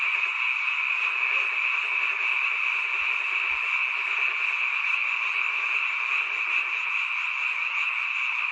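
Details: Frogs in large numbers calling after dark by a mountain village dwelling, a seasonal sound; a constant shimmering chorus of rapid pulsed croaks, steady throughout, with two brief low taps.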